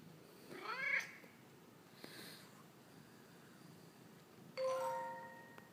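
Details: Male pet cat conversing with its owner: a sharp meow at the start, a quiet pause, then a steady, even-pitched trilling call that fades out.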